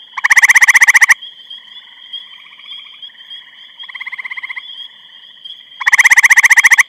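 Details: A grey treefrog in Eastham, Massachusetts, on 23 May 2012 gives loud, musical pulsed trills about a second long, with fainter trills from other frogs between them.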